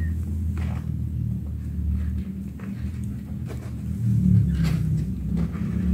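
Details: Continuous low, throbbing purr from a kitten that swells louder toward the end, with soft brushing and handling noises over it.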